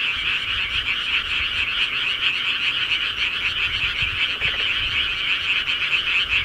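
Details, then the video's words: Massed frogs from the countryside trill together without a break, a bright, buzzing, evenly loud chorus of countless rapid croaks filling the whole stretch. "시골개구리 소리"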